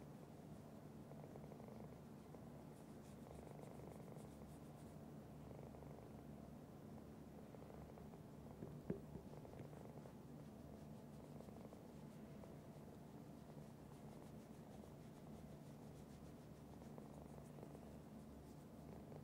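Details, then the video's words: Domestic cat giving a long, unbroken purr, a deep rhythmic rumble holding steady for nearly twenty seconds, with one faint click midway and light rustles. "Cat Purr"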